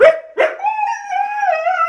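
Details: Two Siberian Huskies in a house, one named Phoenix, howl back while being questioned about who made a mess: two short yelps, then a long wavering howl that slides gently up and down.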